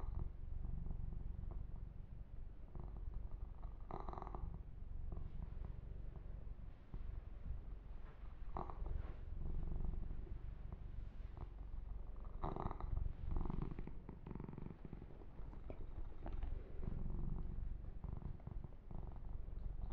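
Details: Massaged male kitten giving a long, low, throbbing purr that never stops, overlaid by scattered soft scratching and rubbing noises as its fur is stroked and groomed.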